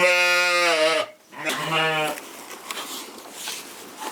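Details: Corriedale sheep at a Canadian farm giving one long, steady bleat, then a shorter second cry, followed by quieter rustling farm noise.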